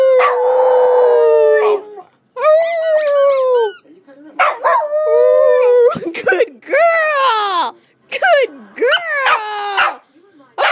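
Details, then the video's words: A young female Australian Cattle Dog in her play pen howls in drawn-out, wavering yelps with rising and falling pitch, a trick she was taught to do when her squeaky ice cream toy is squeaked. "Cattle dog howl"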